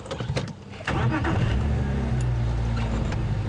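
A vehicle engine rumbles low and steady throughout, with a few clicks and faint background noise but no animal calls.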